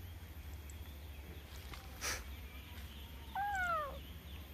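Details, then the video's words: Cute domestic cat giving a single short meow late in the clip, a harmonic call that rises and then falls, after a brief click of noise; steady low background hum throughout. "Si meong Kucing Lucu - meong-meong"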